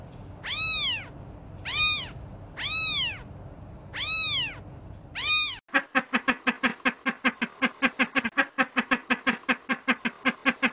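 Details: Kittens playing outside in a garden: five short, arched, high mews spaced about a second apart, then a rapid train of clipped, evenly repeated pulses, roughly four per second.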